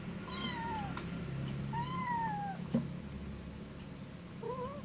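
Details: Cat giving several thin, drawn-out meows that rise and then fall, three calls spread over about five seconds, the last one short and upturned, with a low indoor hum underneath.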